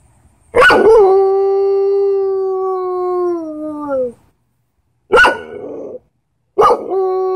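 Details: Belgian Malinois howling: a long steady tone that slides slowly downward over about three seconds, then a short yelp-like burst and another held howl starting; quiet between.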